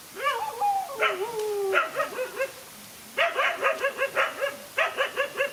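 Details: A lone dog fighting two male dogs: high whining yelps with long falling tones, then rapid regular barks repeating about four per second, loud and harmonic throughout.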